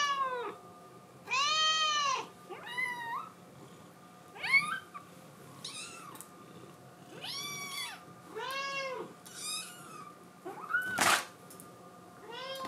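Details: A female blue tabby Scottish Fold kitten gives a run of high, rising-and-falling meows, pleading desperately to be let outside.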